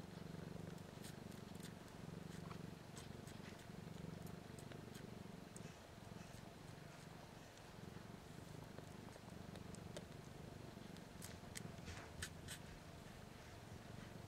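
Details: Nursing kittens one week old, three female and one male, feeding on their mother BlueBelle and only starting to learn the purr, give a soft, rhythmic low vibration that swells and fades over fourteen seconds, with light rustling clicks.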